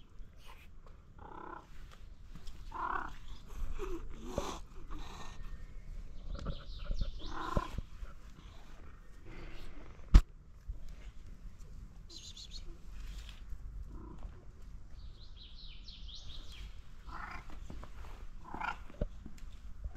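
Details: Stray mother cat and her sick kittens being cared for in Morocco; scattered short meows and mews throughout, some in quick pairs, with faint high chirping sounds and a sharp click partway through.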